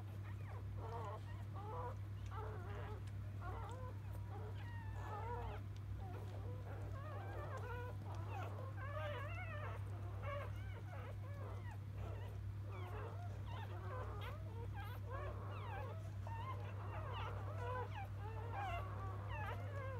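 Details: Newborn field-line Labrador Retriever puppies just after birth, the litter of champion mother Biscuit, squeaking together in dense overlapping high whines and squeals, many short rising and falling cries at once over a steady low electrical hum.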